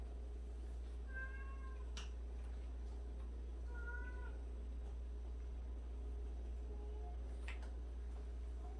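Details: Cat from a home sheltering 76 former stray and abandoned cats; three brief meows spaced about three seconds apart, the last quieter and lower, with occasional clicks and a persistent low hum.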